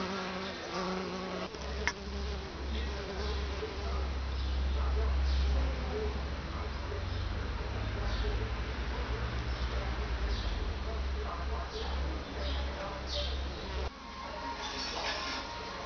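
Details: Honeybees in Béja, Tunisia: a dense, steady low buzzing hum of many insects, with brief louder passes from individual bees near the recorder and faint clicks and taps in the background.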